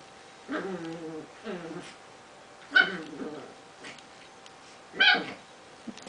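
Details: Prague ratter playing and making noises: drawn-out whiny whimpers with stacked tones during the first second and a half, then sharp short yips near three and five seconds, with a faint human voice in the background.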